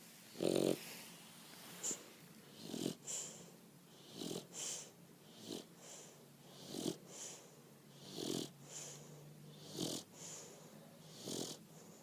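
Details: Bulldog snoring, slow rhythmic breaths with raspy, wheezing snores about every one and a half seconds, each with a hissing, airy edge, steady throughout.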